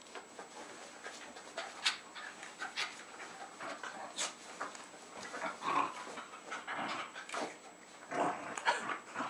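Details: Jack Russell Terriers Jasper and Jaclyn, just over three years old, indoors at home in Lenexa, Johnson County, Kansas, late February 2011; soft, uneven breathy panting bursts with faint rustling, quiet room.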